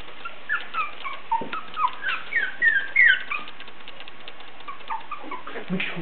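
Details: Basenji puppies three weeks and one day old, the litter of Muxu and Aïku, already very lively. High, thin squeaky whines rise and fall in quick overlapping bursts through the middle seconds, then fade to a few faint whimpers over soft background hiss.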